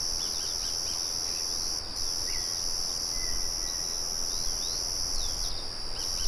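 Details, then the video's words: Crickets singing outdoors with a windmill murmuring in the background: a steady, high, shrill ringing trill with brief pauses near two and six seconds. Scattered short bird chirps and whistles sound over a low rumble. "Sonido de Grillos"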